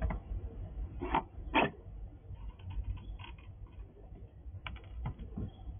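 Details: A wild squirrel crunches dried apple at a house, with sharp, irregular bites and gnawing clicks.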